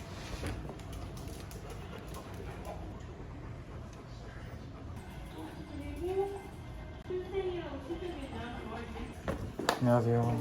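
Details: Louis, a male dog with an ear infection taken to the animal hospital, gives soft, wavering whines that bend up and down in pitch through the second half, over indoor room noise and human speech, with a sharp clatter near the end.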